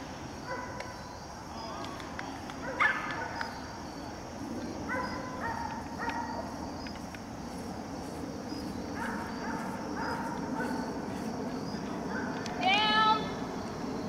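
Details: Whining from Maci, a 7-month-old German Shepherd in training at Raleigh Durham: repeated short nasal whimpers in separate bursts, ending in a sharper rising squeal, with soft human speech and room noise underneath.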